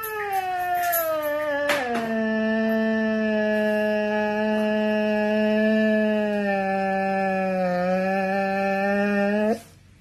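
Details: Siberian Husky letting out a very long sigh: after a brief higher whine, a steady tonal, rich-harmonic moan holds evenly for about eight seconds, then stops abruptly.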